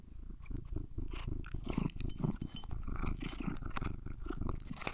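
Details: Domestic cat purring while being groomed and eating treats; a low, steady, pulsing rumble carries throughout, overlaid by brushing, rustling and soft crunchy chewing noises.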